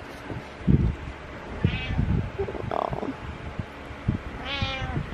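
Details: Butters, a pet cat, meowing in the morning, apparently asking for food; two harmonic meows near 2 and 4.5 seconds over soft thumps, rustling and a low indoor hum.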